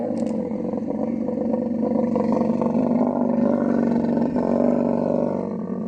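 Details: Camel calling during the mating season in Tharparkar, Sindh, Pakistan's Thar Desert: a continuous, loud, gravelly bellow with a steady deep pitch and slight wavering, sustained throughout with no pauses.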